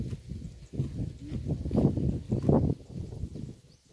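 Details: Close-up of a cow eating grass by the road, with dense low crunching and ripping bites in quick succession through the middle, easing off toward the end; outdoor setting, no other clear sounds.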